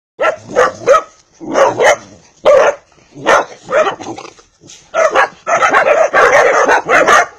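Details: A Vizsla puppy, a pedigree dog from Hungary, gives a run of short, high, yappy barks, about one or two each second.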